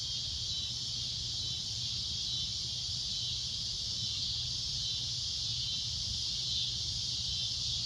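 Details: At sunset a cicada keeps up a loud, shrill droning, a steady high-pitched hiss with no pauses, backed by a faint low hum.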